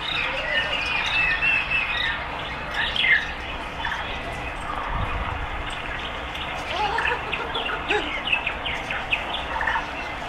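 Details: A group of meerkats at West Midlands Safari Park in Bewdley, England, in winter, climbing closer to a warm red light, gives a busy chorus of high chirping and peeping calls.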